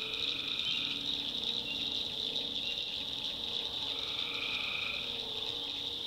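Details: Night in a North Carolina backwoods swamp: tree frogs keep up a dense, buzzing high chorus, with a few softer lower sustained notes rising through it.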